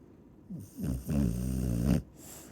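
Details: Chow Chow snoring: one long, loud, low rattling snore lasting about a second, preceded by a softer short breath, with steady background hiss.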